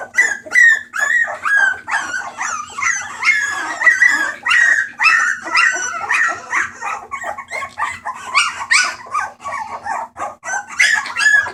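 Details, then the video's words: Several Bulldog puppies from a rescue litter, 28 March 2014, noisy together: a jumble of thin squeaky whines, short yips and wavering cries overlapping throughout, over a faint steady hum. "Puppies making noise"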